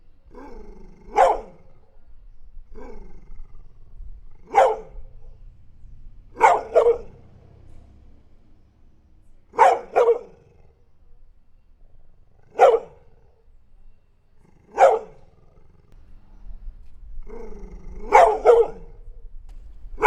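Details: Dog barking singly and in pairs about every two to three seconds, each bark short and forceful, with quiet gaps between and a faint low hum in the background.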